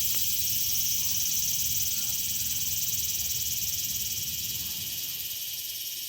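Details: Cicadas singing in a park on a summer afternoon: a dense, continuous high shrill chorus with a fast pulsing throb, steady throughout, over a low rumble of distant traffic.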